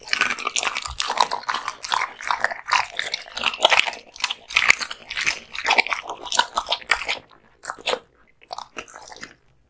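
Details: An American Bully crunches through raw meat and bones in a small room, with dense rapid cracking and gnashing bites that thin out into a few last crunches and near silence at the end.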